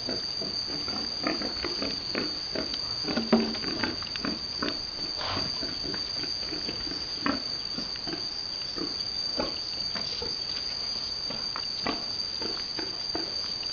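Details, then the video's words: Boar mating a virgin sow on a Vietnamese farm; repeated short broadband grunts and squeals in irregular bursts over a steady high-pitched hiss and scattered clatter. "Boar Mating virgin female sow"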